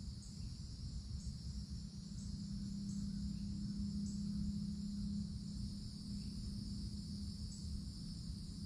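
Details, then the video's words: Cicadas heard from beneath forest treetops in summer: an unvarying high-pitched whine, faint regular ticking above it, a low steady hum rising in the middle, and rumbling background noise. "Forest Canopy in the Summertime With Cicadas Sounds"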